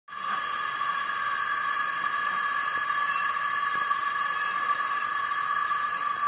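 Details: Cicadas filling the trees, males singing to attract females for mating, a steady, unbroken, shrill buzzing drone with bright high bands and a lower whine holding level throughout.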